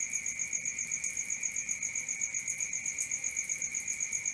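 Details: Night-time crickets give a shrill, pulsing trill at roughly four beats a second over a lower steady ringing tone, both continuing evenly without pause.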